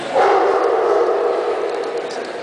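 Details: Male Dogo Argentino puppy in the baby class at the Dogo Argentino Club of Hungary club show, Székesfehérvár, 31 March 2012, giving a drawn-out tonal whine of about two seconds, steady then slowly fading, over hall murmur.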